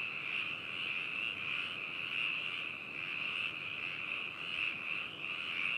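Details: Dense chorus of frogs in Hakushu, Yamanashi, Japan, captured binaurally on 4 May 2018: shrill, rolling croaks from many callers merge into a steady band that rises and falls about every second.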